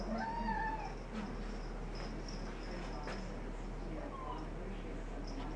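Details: An indoor pet cat that has spotted an orange tabby outside the dining room window makes a short tonal meow early on and a fainter one near the end, over a steady low hum.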